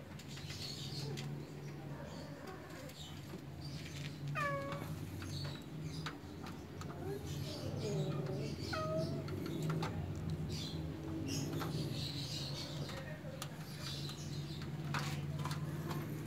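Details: Persian cat kittens, cute and spoiled, kept at home, giving a few short falling meows around the middle, amid a constant low hum, rustling and clattering noise.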